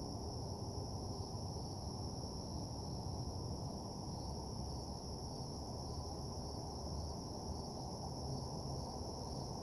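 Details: Crickets chirping at night in a nighttime parking lot ambience: a steady, unbroken high-pitched trill in two bright bands, over a constant low rumble of background noise.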